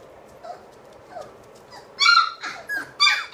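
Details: Three-week-old British Labrador puppies in an indoor nursery; faint soft whimpers at first, then loud, piercing squeals burst out in the final second and a half.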